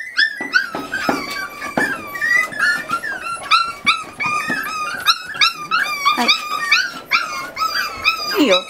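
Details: Eight Miniature Schnauzer puppies about 40 days old, indoors during weaning after their mother has scolded them; overlapping high, wavering whines and yelps from several pups, each bending up then down, packed densely throughout.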